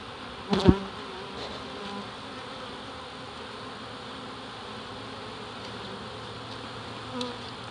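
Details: Large early-season reproductive swarm of honey bees, close to 7 lbs, being captured in Dale County, Alabama: a dense, steady buzzing hum throughout, with a sharp knock near the start and a softer one near the end.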